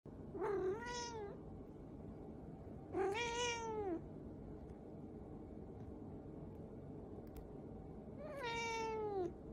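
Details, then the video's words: Indoor house cat, upset at not being allowed onto a person's lap, gives three drawn-out meows about three seconds apart, each rising then falling; a woman's voice asks if it is upset. "Cute Cat Is Upset As The Owner Won't Let Him Hop On The Lap"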